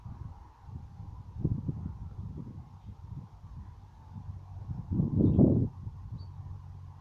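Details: Two female guinea pigs fighting for dominance, giving low, throaty rumbling bursts around one and a half seconds and again in a louder, longer burst near five seconds, over steady background hum.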